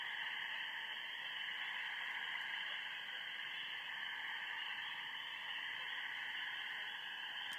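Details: On a spring night by a backyard pond, a dense chorus of spring peepers merges into a steady, shrill, ringing wall of sound; geese are also present.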